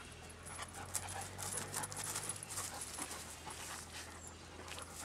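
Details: Six-month-old Dobermann puppy Merlin pausing between ball throws in a yard being cleared of trees; rapid, even, airy panting, close to three breaths a second, over a low steady hum.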